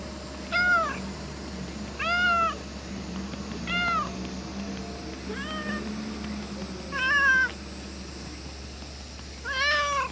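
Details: Harbour cat asking for more petting after the stroking stops, meowing six times at roughly one-and-a-half-second intervals, each call a short rising-then-falling harmonic wail, over a constant low hum.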